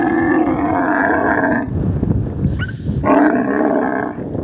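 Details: Camel in the desert letting out a deep, harmonic groaning roar that fades into a low rumbling throaty noise, then a second loud bellow starts after about a second's pause.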